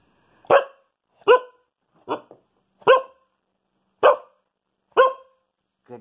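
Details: A female Siberian Husky gives six short, clipped, evenly spaced barks, counting to six on command as a trick.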